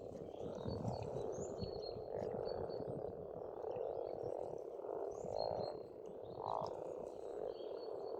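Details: Pond frogs in spring on an Estonian farmstead croak in a deep, pulsing massed chorus with a few louder individual croaks standing out, and faint bird whistles in the background.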